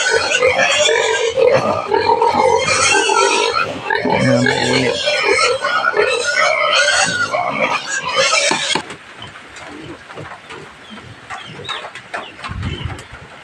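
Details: Native pig on a rural provincial farm, around feeding time with taro, giving loud harsh squeals in rapid overlapping bursts for about nine seconds, then quieter scattered grunts and rustling noises.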